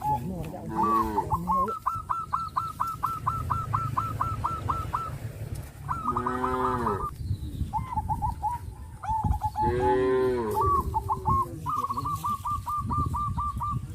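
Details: A crowd of tame traditional cattle in the countryside moo to one another, three strong arched calls spaced a few seconds apart, while a bird repeats quick buzzy trill bursts almost throughout.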